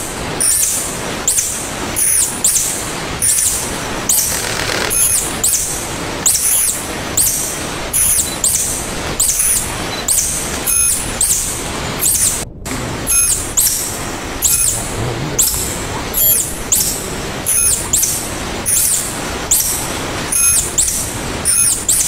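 A tarsier gives thin, very high squeaky chirps, repeated in quick regular bursts.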